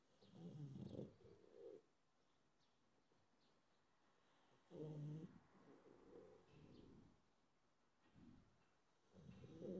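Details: Mogli, a pug, during a midday nap: deep, rough snoring in low breathy bursts, each lasting about a second, with a fainter wheezy tail, recurring roughly every four seconds over a quiet background.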